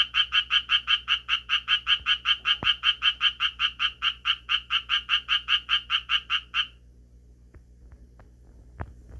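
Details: Japanese tree frog calling and changing its posture between bouts; a rapid series of harsh, quacking croaks about two and a half per second for six seconds stops abruptly, followed by near silence with a few faint clicks.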